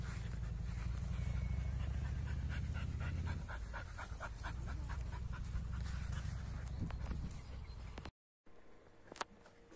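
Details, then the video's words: An American Staffordshire Terrier and a Kuvasz play roughly together, with fast rhythmic panting at roughly three breaths a second. The panting is steady at first, then thins out, with a short silent gap near the end. "AmStaff VS Kuvasz 8 Minutes Of Rough Playing"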